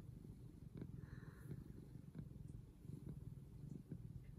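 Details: Purring of a domestic cat, from a pair of mother cat and son: continuous low throbbing purr with regular pulsing, a brief faint higher tone near the start, otherwise quiet.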